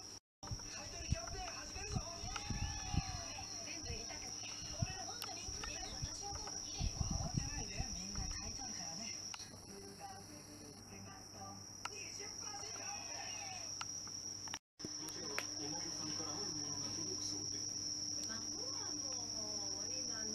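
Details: Bell crickets (Meloimorpha japonica) ring a steady, high, tinkling trill in September, while house cats doze nearby; soft human voices and rustling underneath.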